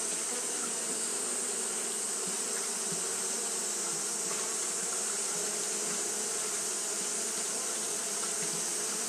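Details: Steady fanning hum of Japanese honey bees during hot weather, a continuous buzzing drone with faint flickering variations, low tones beneath a bright sustained hiss.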